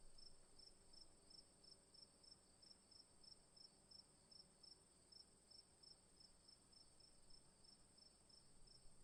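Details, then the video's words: Afternoon crickets chirp in fast, regular high pulses over a steady, shrill background trill. "Afternoon Crickets Long Sound Effect"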